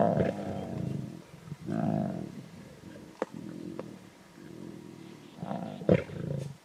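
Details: Lion cubs feeding on a zebra kill in the Timbavati, competing at the carcass with harsh snarls and rumbling growls; low, gravelly bursts rise and fall, with a few sharp clicks and snaps between them.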